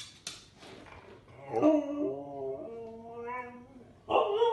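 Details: Indoor Siberian Husky giving a sustained, steady, tonal howl lasting over a second with stacked clean harmonics that slowly slide downward, ending in a quieter wavering tail, then a fresh loud harmonic cry begins.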